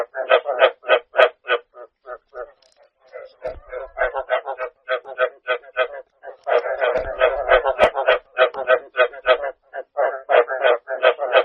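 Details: Rice field frogs croaking in a dense chorus: short, harsh, pulsed croaks repeated about three times a second and overlapping from several frogs, with a brief lull near the third second and a few low thumps.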